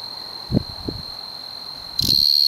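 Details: Singing male tree cricket, Oldman River valley, Lethbridge, Alberta: a thin continuous high whine, with a few low knocks and rustles, that suddenly swells much louder near the end and stays strong.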